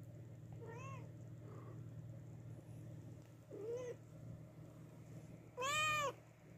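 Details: Mother cat that lost her newborn kittens meowing loudly indoors: a few drawn-out, arching meows, the last one loudest, over a steady low hum.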